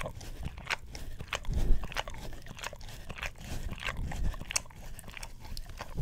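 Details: Pet English Cream Golden Retriever working its tongue over an Orapup tongue cleaner brush, close-miked with a Blue Yeti stereo microphone; soft, deep slurps mixed with sharper sticky clicks, irregular and continuous.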